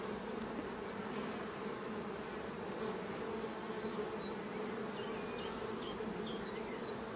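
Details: Western honey bees at a hive during a swarm check, heard as a bee is being born and another uncaps its cell to emerge; a steady low dense hum with a faint high whine throughout.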